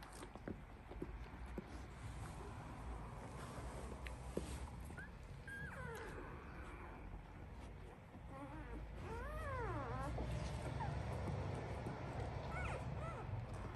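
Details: Labrador Retriever puppies, one week old, in a breeder's litter: thin rising-and-falling whines come in scattered bursts, clearest midway, against a constant low background rumble.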